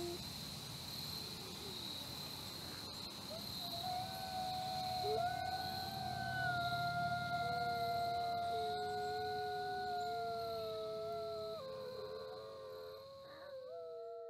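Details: Captive red wolves in a conservation breeding programme in South Salem, New York, howl in long, smooth, drawn-out tones, two voices overlapping at different pitches.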